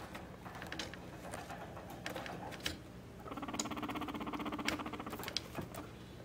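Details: Mop, a very tame pet guinea pig indoors, being stroked and enjoying it; an animal that comes when called. A soft, rapid pulsed purring chatter runs for about two seconds mid-clip, with light rustling and handling noises around it.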